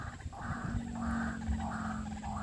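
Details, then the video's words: A dense frog chorus in a rice field around 17:00, after heavy rain the previous evening and night, cool wind blowing: raspy, overlapping croaks swelling in bursts about every second over a low background rumble. "ฟังเสียงเขียดร้อง ร้องสดๆระงมทุ่งนา"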